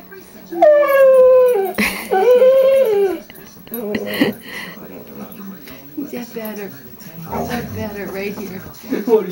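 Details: A female pet dog at home gives two long, loud, level-then-falling moaning howls, each about a second. Then come quieter broken grumbling sounds mixed with a person talking.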